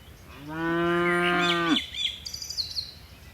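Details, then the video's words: A herd of dozens of tame cattle springs down a mountain hillside slope. A single steady, full-bodied harmonic moo lasts just over a second and ends abruptly, followed by light bird chirps. "Suara lucu sapi moo"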